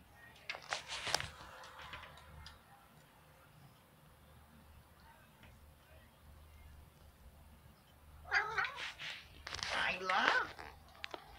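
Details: Male pet cat wanting to go outside, its meows said to sound like "I love": after a quiet stretch with faint rustling, two loud, wavering, drawn-out meows near the end, with people speaking nearby.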